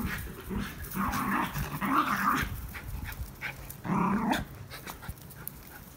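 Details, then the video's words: Two pet Schnauzers at a window, thrilled by a squirrel visitor; repeated whiny, wavering yelps in bursts around one to two seconds and again near four seconds, with soft snuffling between. "Schnauzers react to squirrel"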